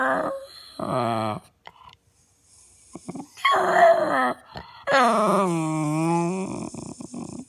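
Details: Six-year-old retired show dog 'talking': drawn-out, wavering yowls and groans rising and falling in pitch, in four bursts separated by short quiet gaps, the last one long and sliding downward.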